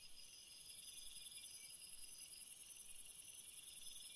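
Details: Crickets chirping at night in a bright, rapid, evenly pulsed trill high above several steady shrill layers, with the volume swelling slightly after the first second.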